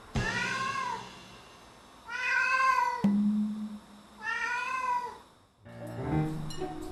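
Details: Former stray Korean shorthair cat crying at night near its food bowl while the owners sleep, after scratching around the bowl instead of eating, calling for its guardian: three loud, drawn-out meows that rise then fall, about two seconds apart, with soft background music.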